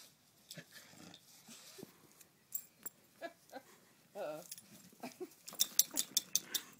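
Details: A bulldog and a basset hound play fighting at home: scattered snorts, wheezy huffs and sharp clicks, with a brief rough growl in the middle, building to a dense burst of snuffling near the end.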